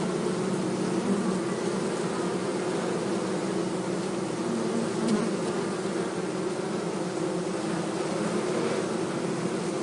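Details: A swarm of honey bees being caught from a termite mound in forest near Hebri for a hive box gives an unbroken, even, low-pitched buzzing hum. A faint click sounds midway.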